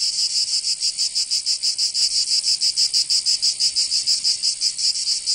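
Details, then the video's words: Cicadas singing in summer in Provence, southern France: a dense, high buzzing chorus pulsing rapidly and evenly, about three pulses per second, with no other sounds. "Canto Cigarra 🦗 [ Escuchar les cigarras en verano 10 H]"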